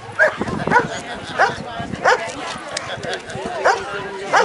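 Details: At the Woofstock doggie fair in Anthem, Las Vegas, Nevada, Echo, a working-line German Shepherd citizen K-9, gives steady, punchy barks roughly every half second to second while demonstrating a police K-9 procedure. Spoken commands can be heard in between.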